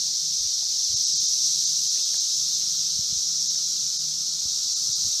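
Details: Brood V 17-year Magicicada periodical cicadas massed at Vine and Walnut in Logan, Ohio, producing a continuous shrill whirring wall of sound, even in loudness from start to finish, over a faint low rumble.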